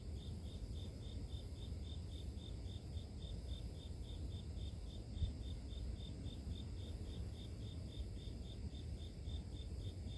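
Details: Continuous rhythmic chirping from grass insects, clipped high notes at a steady pace of roughly three per second, set against a constant deep rumbling noise.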